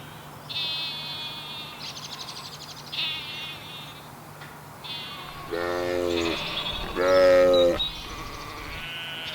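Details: Sheep in a farm animal sounds collection for toddlers: several high, thin wavering bleats in the first half, then two louder, lower, drawn-out bleats near the end, over a faint steady hum.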